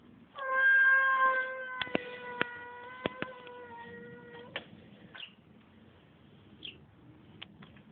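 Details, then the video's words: Male domestic cat making a strange noise: one long, steady, tonal yowl lasting about four seconds with a slight downward slide, then sharp clicking taps and a couple of brief chirps over quiet background. "Котарак издава странни звуци / Cat makes strange noise"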